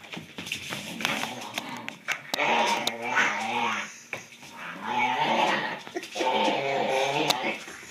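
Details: Corgi Dartanian growling while playing tug with Vaida, a Doberman, indoors; rough, rumbling growls in long surges of about a second each, rising and falling, with sharp knocks and scuffles between them.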